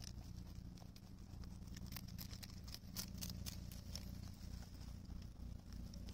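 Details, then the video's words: Rabbits on Okunoshima, Rabbit Island, Japan, in June 2021, chewing cabbage thoroughly: short crisp crunching clicks in quick irregular bursts, densest midway, over a steady low hum. "キャベツしっかり噛んで食べてるね 健全な咀嚼音"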